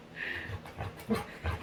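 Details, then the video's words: Female Labrador retriever, a pet, vocalizing while playing with her owner indoors: a brief whiny, nasal sound followed by short breathy grunts and pants. "Cutest Dog Makes Funny Sounds While Playing"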